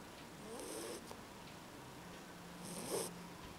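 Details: Sleeping Beagle puppy snoring softly indoors. Two airy, hissing breaths about two seconds apart, each with a faint rasp, in an otherwise quiet room.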